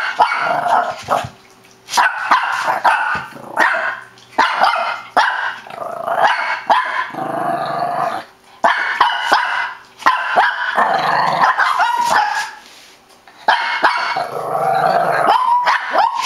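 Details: Shih Tzu in a long barking fit, dense runs of sharp barks mixed with rough growling, broken by brief pauses every couple of seconds before starting up again.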